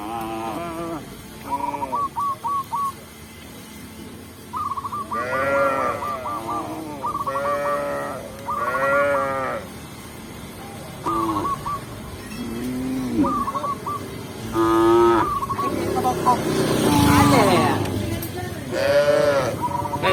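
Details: Tame cows being guided into their pen by a village shepherd; frequent long, wavering moos throughout, interspersed with runs of brief hooked chirps and a rough noisy burst near the end.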